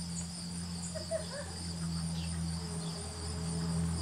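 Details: A honey bee on goldenrod, using its proboscis, gives a steady, low droning buzz without a break.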